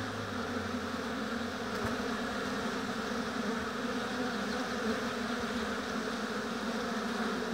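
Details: Honey bee colony humming at an apiary hive, an unbroken buzzy drone with stacked overtones, a brief low tone early on and a soft tick near two seconds.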